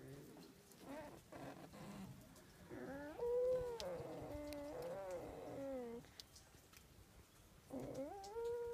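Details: During a winter fight between foxes at Zao Fox Village, Japan, several high whines rise and fall, overlapping in a wavering chorus, with a pause and then one more rising whine at the end.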